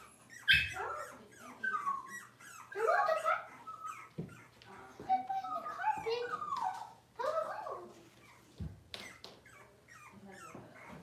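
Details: Indoors, six-week-old Cavalier King Charles Spaniel puppies fuss while being dewormed and having toenails trimmed; overlapping squeaky whimpers and yelps come in bursts, with handling clatter and a few sharp knocks.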